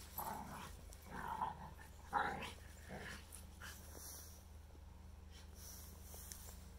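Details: Two primitive dogs, a Shikoku and a Karelian Bear Dog, play together outdoors on a freshly melted, slippery pond surface. Several short, rough, growly vocal bursts come in quick succession in the first seconds, then trail off into steady outdoor background noise.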